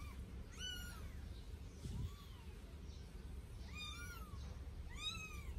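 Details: During their first bath, a pair of 8-day-old Sphynx kittens let out a few piercing, downward-curving mews and one softer, lower cry against a constant low hum indoors.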